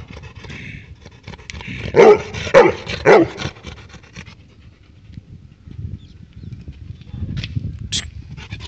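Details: A Labrador Retriever barking at a stray dog gives three sharp, deep barks in a quick burst, about half a second apart, followed by a low background rumble and faint brief noises.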